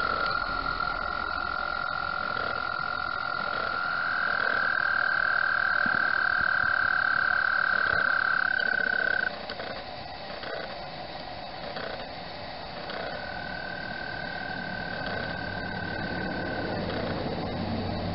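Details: Frogs calling in spring at Mt Gretna during the mating season, their calls sending concentric circles across the water; a steady, high, sustained trill holds for several seconds, pauses, then resumes, with camera mechanism clicks beneath.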